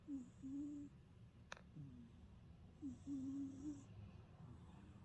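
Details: Deeply asleep old house cat snoring, two drawn-out whistled snore phrases on each breath, separated by a single sharp click, over low soft breathing noise.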